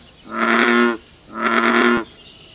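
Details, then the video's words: Frogs heard at night in their habitat, giving two long, rich, nasal croaks of almost a second each, separated by a short quiet gap, with faint high twittering at the end. "Frog Sounds, Natural Frogs Singing in the World"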